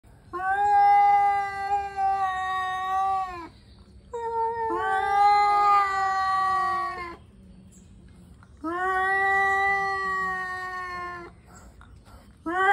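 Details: Angry male cats warming up before a fight: three long, drawn-out yowling wails of about three seconds each, steady and harmonic-rich with slight pitch bends, separated by short quiet gaps, plus a fourth beginning at the end.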